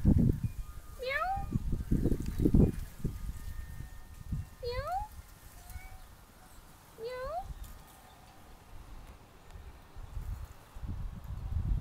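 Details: Pet cat Pinot calling through the window with three short upward-sweeping meows, spaced a few seconds apart, against steady low-pitched indoor rumble and thumps.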